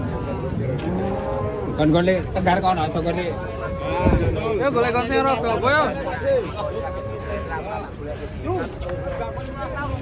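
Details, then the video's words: Cattle coming down off a tilting truck: several overlapping moos and bellows mix with a busy wash of human chatter and shouting, calls rising and falling in pitch over about ten seconds. "SAPI MONSTER LUCU TURUN DARI TRUK OLENG"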